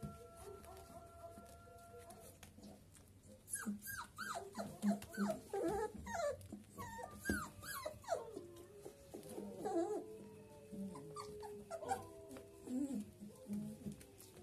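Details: A litter of 23-day-old Dobermann puppies keeps up a chorus of thin, high whines and squeals that waver, slide and often overlap, with brief yelps and soft grumbles between them.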